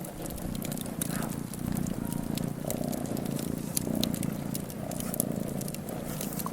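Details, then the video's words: Purring cat sitting before a fireplace. The rumbling, evenly pulsed purr runs without a break, accompanied by frequent crisp crackles from the burning fire. "Cat purring in front a the fireplace"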